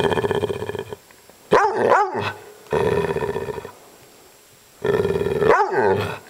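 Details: Maggie, an upset dog, alternates sustained buzzy growls with abrupt arching yips and barks: a growl, a double yip, another long growl, a pause, then a growl rising into a final yip.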